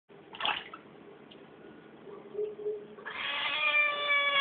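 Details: A Siamese cat being bathed gives a loud, drawn-out, strongly harmonic meow after a splash of water.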